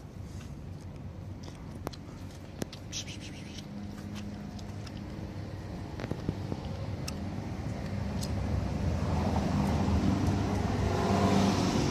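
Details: Steady road traffic rumbles outdoors in an urban setting, growing louder toward the end, with faint clicks and no animal voice.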